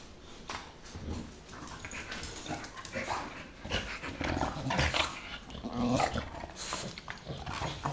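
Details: An 8-month-old American bulldog and a 6-year-old English bulldog play, growling and snorting in rough, broken bursts with scuffling in a small room; bulldog.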